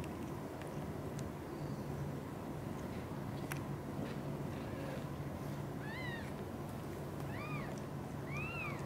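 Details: Mother cat Xaxa, a blue golden British Shorthair, caring for kittens Piano, Miracle and Cream: after quiet rustling and clicks, three clear arched mews arrive in the last three seconds, each rising then falling, over a low background drone.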